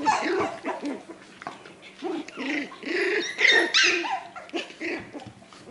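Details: Australian Terrier puppies, four weeks old, being socialized: a run of short arched yips and little barks, roughly three per second, overlapping with squeals and higher whiny cries from several pups.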